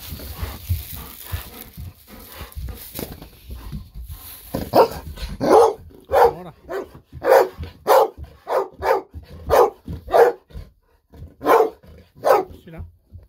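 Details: Golden Retriever Bis barking indoors, excited and happy after sensing a fish-sausage treat coming and refusing to wait quietly. After a muffled start, about a dozen loud, sharp barks follow in a steady run, one roughly every 0.7 seconds.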